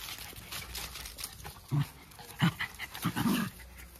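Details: Two Jack Russell Terriers, close friends, play-wrestling in a harmless fun fight: short, low growling grunts in three or four quick bursts over a few seconds, with a faint rustle between them.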